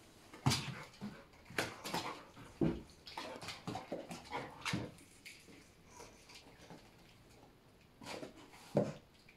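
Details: Tails, a young Labrador Retriever, reacts for the first time to soap bubbles. Short, sharp broadband bursts come irregularly, about every two seconds, with quieter gaps and a faint room background between them.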